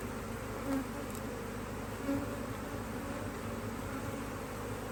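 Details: Honey bees buzzing around a HiveIQ hive in Australia, mid-Autumn 2023, while another box of empty frames is added; steady droning hum with two short louder buzzes from bees flying past.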